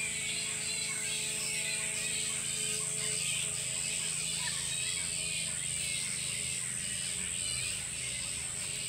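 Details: Roosting colony of about a thousand bats spread through every tree of a tropical Queensland park, Sunshine Coast, Australia; loud, unbroken crowd of high, scratchy squeals and chatter, pulsing slightly, over a continuous high-pitched hiss.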